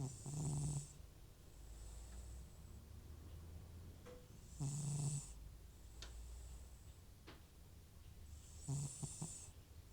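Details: Loud sleep snoring from Butcher, an old rescued cat with FIV whose sneezing and runny nose bring on snores: three gravelly, rumbling breaths about four seconds apart, with faint ticks and clicks in between.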